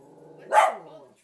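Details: Pet dog barking at a movie playing on TV. A single sharp bark rises out of quiet voices from the television.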